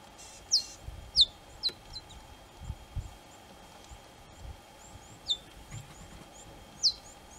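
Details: High chirps from cheetah cubs calling out to their mother, several quick, bird-like downward notes in an irregular series, some louder and some fainter, with soft low rustling and a steady faint hum beneath.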